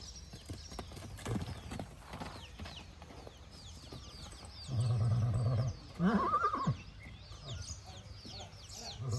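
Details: Marwari horse, filmed 9 May 2024, a horse fond of people's company. A low, steady nicker is followed by a brief rising, quavering whinny amid faint chirping, rustling and distant voices.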